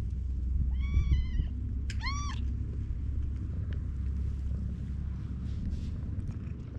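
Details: Stray cats meeting in the evening: two meows in quick succession, the first longer and wavering, the second short and rising then falling, followed by steady low rumbling ambient noise.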